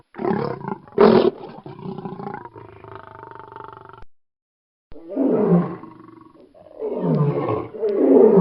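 A lion gives deep, rasping roars and growls that sweep downward in pitch.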